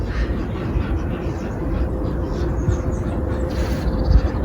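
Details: A steady low rumble like a passing vehicle or train fills the recording, with no animal voices.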